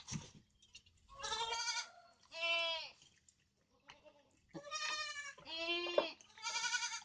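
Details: Goat giving a series of loud, nasal, quavering bleats, about five calls in quick succession with brief pauses, over a faint steady hum.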